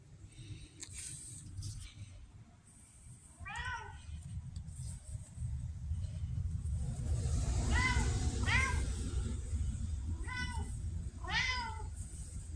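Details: Pumpkin, a chatty female red tabby house cat with Siamese-like manners, recorded October 2023, utters five short bent meows, two in quick pairs, over a rising mechanical rumble and household background noise.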